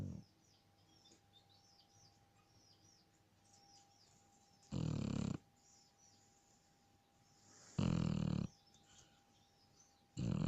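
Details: Sleeping Shar Pei snoring: short loud low rumbling snores about every three seconds, separated by quiet stretches with a faint steady hum in the background.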